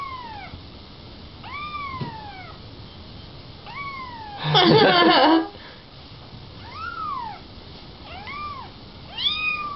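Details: Little kittens meowing indoors: short arched meows that rise then fall, about seven spread over ten seconds, with a loud rustling burst midway and faint human talk in the background.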